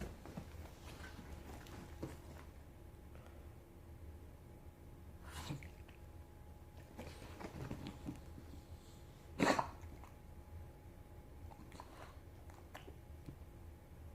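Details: A sick English bulldog puppy gives short, dry coughs at irregular intervals, one louder and harsher than the rest. Finding: English bulldog.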